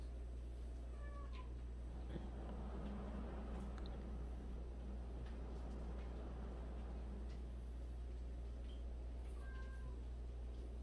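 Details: Several short meows come from a group of 76 abandoned cats. They are quiet and scattered, with a couple of bending mewls near the start and end, set against a constant low drone and a busy background murmur.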